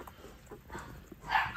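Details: Eleven-day-old Rottweiler puppies feeding indoors, drinking quickly; a short high yelp rises near the end, after faint soft murmurs, with quiet background noise.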